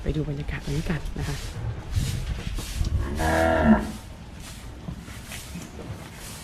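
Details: Cattle on a farm where they are fattened without grass; a low, droning moo with stacked harmonics swells for about half a second mid-clip, with people talking throughout.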